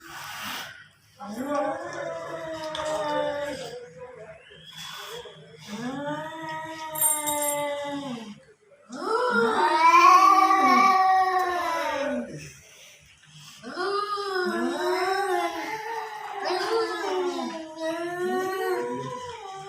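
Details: Cats fighting in front of a house: long, wavering, harmonic yowls that rise and fall in drawn-out arcs. Four separate bouts are broken by short pauses, the loudest near the middle.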